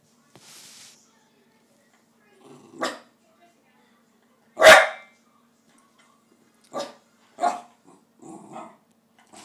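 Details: Pet dog wanting tikka masala, barking in short sharp bursts spaced irregularly, one loud bark standing out mid-clip, with softer yips and low grumbles between.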